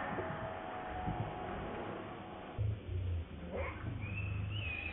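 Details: Baby monkey Lucie crying as it begs its mother for milk; after low rumbling background, brief rising then high thin tonal wails appear near the end, over steady low-frequency noise.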